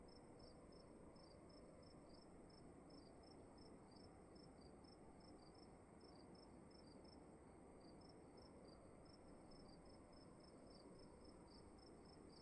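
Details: In a room, crickets keep up brisk, evenly spaced high chirps with a second fainter caller weaving between them, all above a steady low hum.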